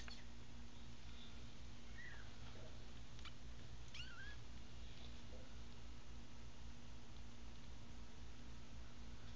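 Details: Newborn American Bobtail kittens from a litter of five, eyes just opening, give a few faint, thin rising-and-falling meows over a steady low electrical hum in a quiet room.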